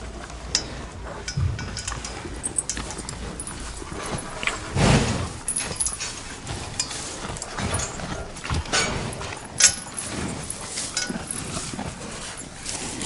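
A cow snorts and blows through its nostrils in short, breathy bursts.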